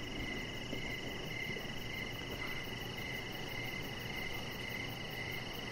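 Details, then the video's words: Outdoor evening cricket chorus by a deck, a softer run of regular pulsed chirps over a steady high whine and low rumbling background. "3 Hours Of Chihuahua Puppy Laying On Deck with Cricket Sounds"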